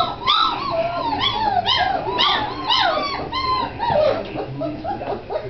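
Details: Great Dane puppies on January 27, 2009, crying together: a steady run of looping, high whimpers and yips, each arching up and down, about two per second.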